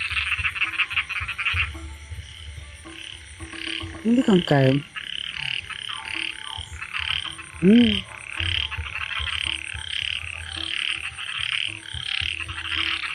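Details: Chorus of croaking frogs where a frog had chased off a snake, with bursts of clattering calls and two loud harmonic human vocal sounds partway through.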